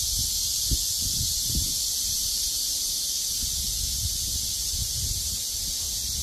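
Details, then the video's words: Steady, unbroken high buzzing of cicadas fills the air while gusts of wind push soft low rumbles and a few brief rustles beneath the drone. "시원한 바람이 분다 매미소리"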